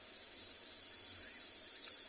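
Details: Cicadas in Tswalu Kalahari Reserve, South Africa, on 23 November just after sunset give a steady, unbroken high-pitched shrilling with an even higher whine above it, droning evenly through the evening air.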